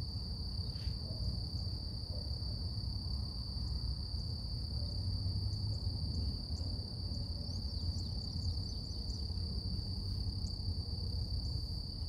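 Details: Cicadas singing in the morning outdoors, a constant high whining tone with a faint higher harmonic, over loud low ambient rumble; a few short bird notes flicker in the second half.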